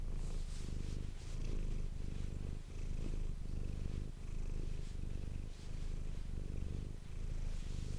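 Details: Manis the domestic cat purring into an ASMR microphone, a thick low drone that dips briefly about forty times a minute with each breath, plus faint soft rustling.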